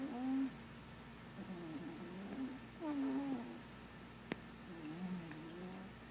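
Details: Pet cat asleep and dreaming, giving faint wavering murmurs and short squeaky tones at irregular intervals, one sharp tick partway through, against a constant background hiss.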